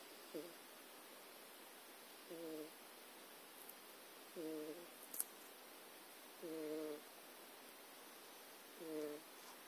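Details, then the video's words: Jack, a domestic cat asleep on notes and USB cables, twitching and dreaming indoors; soft short murmuring snores come in five separate bursts about every two seconds over a quiet room background. "snoring and dreaming cat"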